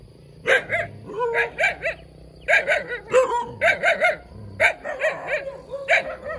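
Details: Small puppy barking eagerly, about a dozen high, shrill yips in uneven bursts, some paired, some with a short whine between.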